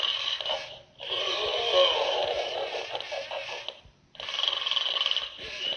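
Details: Pig snoring: long, breathy, rasping phases of about three seconds each, separated by short quiet gaps, with a harsh hiss across the upper range.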